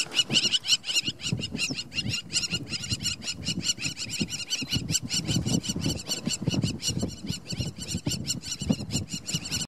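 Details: Yipping of two cheetah cubs beside their mother at Namiri Plains on 17 August 2015: a dense, rapid series of high, harsh yelps repeated several times a second throughout, with low engine-like rumble and faint talk beneath.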